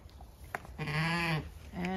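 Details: Zwartbles ewe on a regenerative farm in County Kilkenny, Ireland, one morning at the start of lambing season, giving the telltale noise of early lambing: a loud, low, quavering bleat about half a second long, then another beginning.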